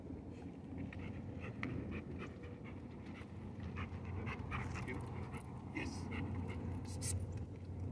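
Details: Koby the Rottweiler on day 2 of basic obedience training, panting steadily in quick, breathy bursts of about four a second, with faint voices in the background.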